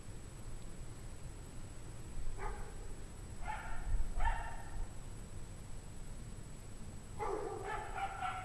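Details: A pack of dogs barking on a freezing 17°F January evening in 2009, possibly from stress, fear, cold or hunger; distant sharp barks in scattered groups, building to a denser overlapping burst at the end, with low rumble beneath.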